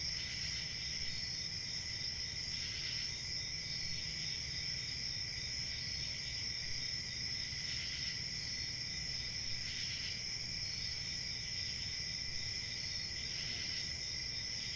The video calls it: Crickets sound effect( Crickets chirping )